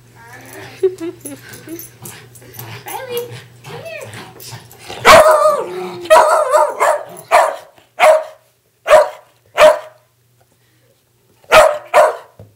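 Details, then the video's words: Two West Highland White Terriers playing tug of war indoors; after soft murmuring and a voice, loud sharp barks burst out, then separate barks follow at intervals of about a second, with a human voice early on. "Darby and Riley playing Tug of War"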